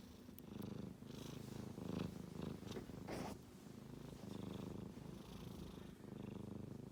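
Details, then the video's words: A male kitten snoring while asleep: low, rough, rapidly pulsing rumble that swells and fades with each slow breath, with a few soft clicks and brief higher rustles. "子猫のいびき a Kitty is making a noise when he sleeps"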